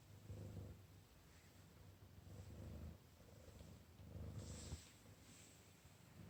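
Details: Cat rolling on the stairs, kept indoors to sleep during cold weather; low, rumbling purr in rhythmic pulses about a second apart, steady throughout, with faint background hiss.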